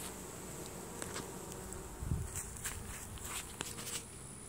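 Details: Honey bee swarm entering a new hive as the bees release Nasanov pheromone; a low steady buzz with scattered light ticks and taps, and a brief louder rustle around two seconds.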